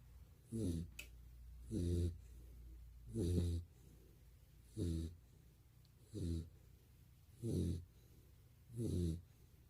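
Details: Golden Retriever Barney, recorded two years ago, snores in his sleep indoors: seven throaty, rumbling snores spaced about 1.3 seconds apart, steady and even, with a faint click early on.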